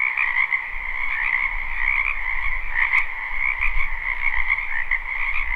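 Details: Spring wetland frogs in full chorus, recorded live behind a home: continuous layered trilling croaks at two pitches, with a low rumble underneath and a sharp click near the middle.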